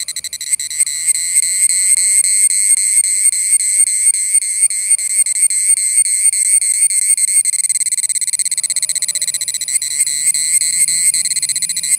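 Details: An Indian cicada gives a shrill, steady, ringing buzz with a fast pulsing flutter running through it.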